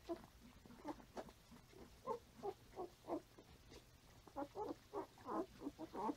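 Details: Five-day-old Standard Poodle puppies nursing on their mother, filmed 6/8/14: soft, low grunting squeaks in irregular bursts, closely spaced, louder toward the end.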